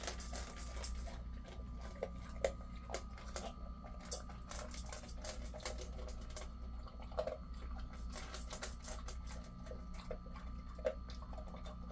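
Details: Quiet indoor scene with a low engine hum, a thin steady tone and soft tapping clicks scattered throughout, but no barking or other animal voice.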